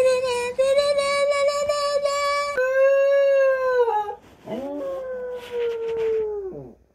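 A husky howls in long, wavering tones, sliding up and down between drawn-out notes.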